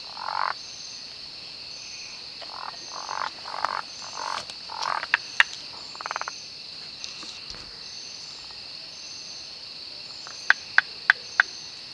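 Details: Malabar gliding frogs (Rhacophorus malabaricus) in the Western Ghats during the monsoon give short, rattling croaks and sharp clicking notes over a steady, high insect drone.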